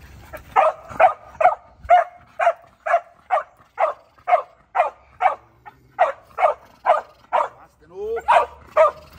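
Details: Border Collie in personal and property protection training, barking in a fast steady run of sharp barks about twice a second, with a trainer's voice calling out near the end.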